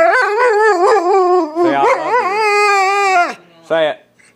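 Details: Household dog Shadow answers a request to say I love you with a wobbling, talk-like howl, bending up and down in pitch before a pause and a short final yelp.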